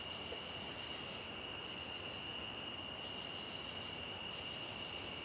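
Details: Crickets trilling nonstop near a stream, with high, piercing, level tones that never pause and a low, even wash of background noise beneath them.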